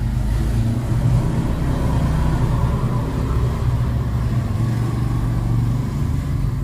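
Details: Steady low engine rumble of passing road traffic fills the whole stretch, with no animal voices audible.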